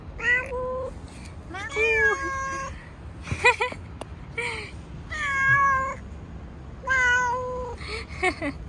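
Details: Stray fluffy cat on a street while being petted, giving a series of meows: short and longer tonal mews, some rising then falling, roughly one every second or two, with a few soft clicks between.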